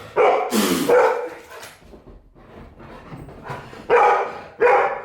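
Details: Golden retriever reacting to a sneeze. A sharp, hissing burst is followed by a loud bark, a pause of softer sounds, then two more abrupt, gruff barks close together.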